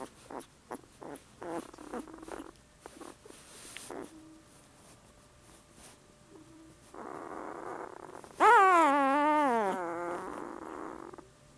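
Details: A 6-day-old yellow Labrador puppy, recorded on December 3rd, gives soft squeaks, then one loud, wavering, high-pitched bark-like yelp.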